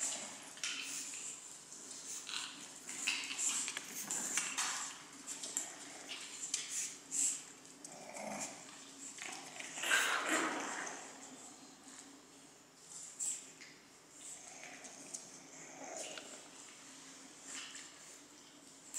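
Pekingese puppies give short, high whimpers and yaps in scattered bursts over a faint steady hum.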